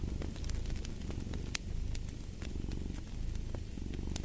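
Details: Cat purring with a low, steady rumble that swells and eases in breathing cycles, over a wood fire's sharp crackles and pops.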